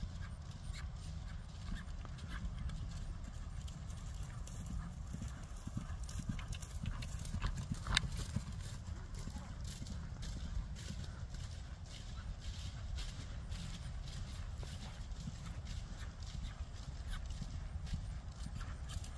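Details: Ridden Friesian mare moving steadily, a continuous patter of soft, low hoof thuds under a constant rumble, with faint voices mixed in.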